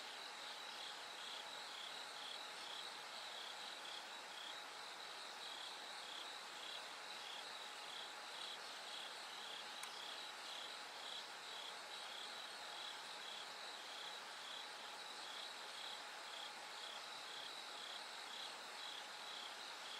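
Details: Bell cricket singing through the night as it gradually brightens toward dawn: high, pulsed trills in a dense insect chorus, the beats repeating about twice a second, over a faint steady hum.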